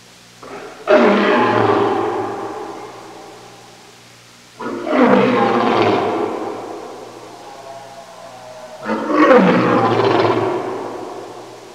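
A lion gives three deep, rasping roars, each swelling and fading over about three seconds.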